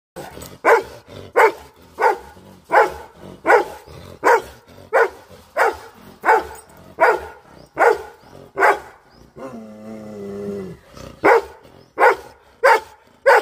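A Doberman barks in loud, deep, evenly spaced single woofs, with a brief whine between bursts.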